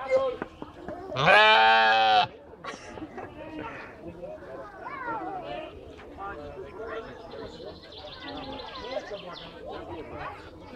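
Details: Sheep in the Kraków Zoo on 4 June 2015 give one loud, flat, nasal bleat lasting about a second, followed by murmuring voices and crowd chatter.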